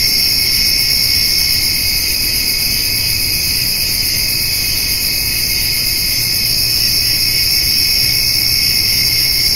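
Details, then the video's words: A summer-evening insect chorus of crickets and grasshoppers, recorded where a white-tailed doe and her fawn feed on hay: continuous shrill trilling layered in several high bands, faintly pulsing and constant throughout, with nothing else standing out. "Cricket and Grasshopper Sounds"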